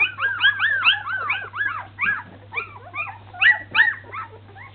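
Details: Baby Samoyed puppies learning to walk, letting out a rapid, overlapping stream of high, squeaky whines and yelps that rise and fall in quick arcs, several per second, with a low hum underneath.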